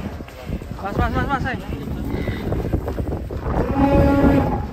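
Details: Giant fat cow being led out of its pen for an arena show, after a long time inside, as a child rides it; a low drawn-out moo late on, with men talking, music and crowd noise around it.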